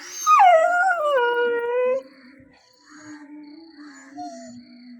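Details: Nine-month-old pet dog in India crying because the father of the household left without him; one loud, drawn-out wail that slides downward and levels off, then quiet background tones.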